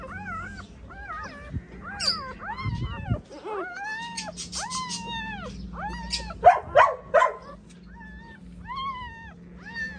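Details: A female pointer dog giving birth to nine puppies at home, with newborn pups crying in a rapid series of high, arched, whining squeals. Some are longer and some are clipped, and they overlap at times above a low background hum.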